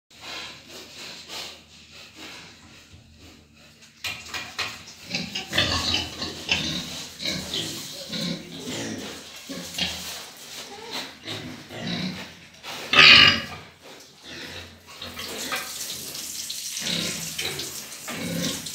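Pigs grunt and squeal in rough, noisy bursts, with one loud shrill squeal standing out.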